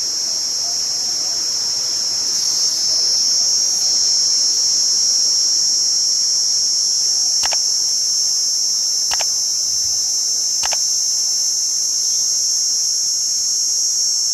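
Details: Cicada. A cicada drones on and on in a piercing, high metallic buzz that never pauses. A few faint clicks cut briefly through the even whine.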